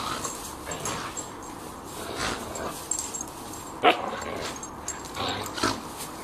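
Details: An Irish Terrier and a lurcher at rough play produce brief harsh growling bursts and a sharp yelp near the middle, mixed with scuffling noises and panting.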